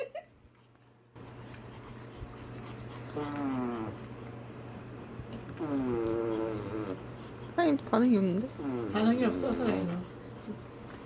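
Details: Pet Pomeranian indoors warns its owner, who blows a raspberry on its belly: strained, wavering whiny growls come in several bursts over a steady blowing rasp, with people talking around it.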